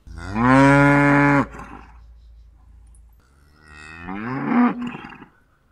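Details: Cow lowing: a loud, steady moo of about a second and a half with rich harmonics, then after a pause a second, rising and swelling moo that fades out.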